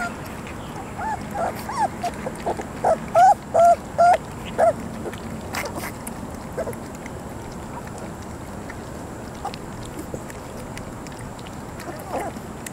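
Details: Three-week-old puppies give a quick cluster of four or five high squeaky whimpers in the middle. Before and after come faint scattered squeaks and steady low background noise.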